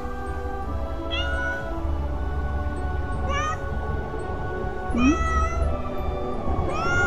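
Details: Feral cat greeting its returning caregiver at year's end, calling on and on, possibly over a territorial dispute with a calico cat; four plaintive, drawn-out harmonic meows about every two seconds, one dipping low, over steady background music.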